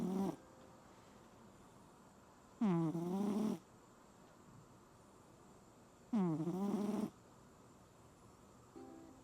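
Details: Sleeping cat snoring loudly like a pig through a Typhoon Signal No. 10 night: two long, raspy, rattling snores roughly 3.5 seconds apart, with a faint breath at each edge and steady low background noise.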